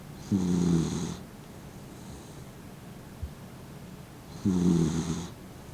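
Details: Fifteen-year-old blind Dachshund named Mint, an elderly dog sleeping with eyes half open, snoring: two loud rasping snores with a low droning buzz, separated by about three seconds of quiet breathing.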